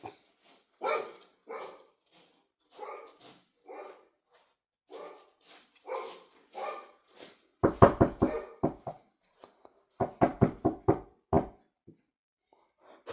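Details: Dog barks repeatedly: evenly spaced, moderate single barks at first, then louder, quick clusters of harsh barks in two bursts separated by brief gaps, ending with a final sharp bark.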